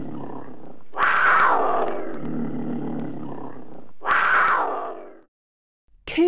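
A cougar gives two harsh, rasping snarls. The first is long, about three seconds, and a shorter one follows. A voice starts at the very end.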